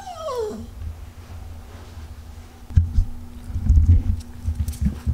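A Yorkshire Terrier gives a brief, high whine that slides quickly downward, followed by low rumbling.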